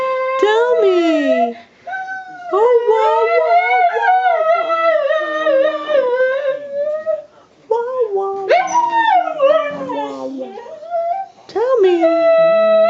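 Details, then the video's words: A 13-year-old female Siberian husky, prompted by her owner to "speak", howls and 'talks' in long, wavering, sliding tones that rise and fall like a yodel. "Willow Siberian Husky Howling Singing Talking"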